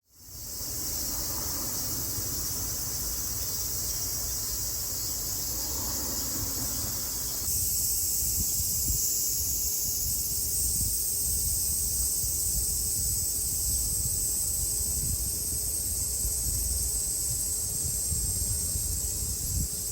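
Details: Cicadas in summer in Japan, 2022: a dense, unbroken shrill buzzing drone holds steady throughout. A lower murmuring background shifts partway through, and there is faint low rumble.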